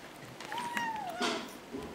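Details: Kitten giving a snuggle noise as it eats: one thin, level whine that sags slightly at the end, with soft chewing clicks and a short human voice.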